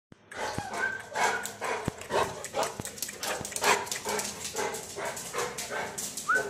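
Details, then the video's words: Angry Saint Bernard mother guarding her 42-day-old puppies in Dum Dum, Kolkata, India, giving rapid, harsh, irregular barks about twice a second, with a short whine near the end. "ANGRY SAINT BERNARD MOTHER"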